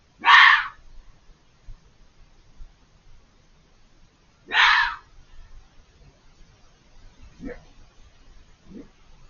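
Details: Out of sight beyond a hedge, a vocal fox gives two loud, raspy screams about four seconds apart, then two much fainter, thinner cries trailing off, against a quiet background.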